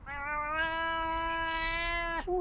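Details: Tabby cat with a booming, guttural voice giving one long, drawn-out meow that holds a steady low pitch for about two seconds, ending with a short sharp drop and a brief second note; faint background hum.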